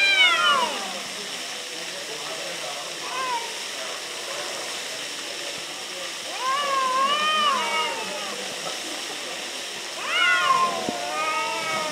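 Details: A pair of cats argue near Antalya, Turkey: a sharp opening yowl, a short meow, then two long wavering cries separated by quiet pauses, set against steady hissing background noise.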